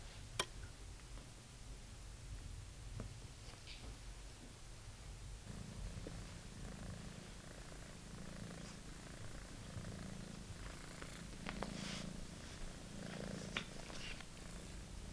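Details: British Shorthair kitten playing with its old favourite toy indoors, purring in a steady low rumbling drone that swells louder halfway through, with scattered light taps and scratching from the toy.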